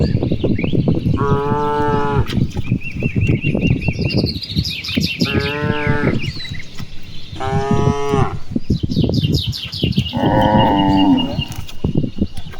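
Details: Many cattle graze freely across open rice fields in the afternoon, answering one another: four drawn-out moos spaced about two seconds apart, the last lower and wavering, over low rumbling background and bright bird twittering.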